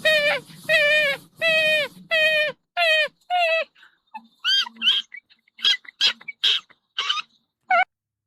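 Raccoon giving a run of six whining, harmonic squeals about twice a second, then thinner, higher chirps and squeaks.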